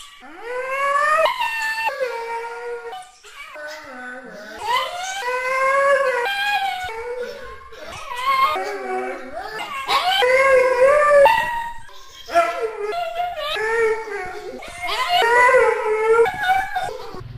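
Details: Siberian husky vocalizing almost without pause: a long run of moaning, wavering howls and whines, each one bending up and down in pitch, broken by brief gaps.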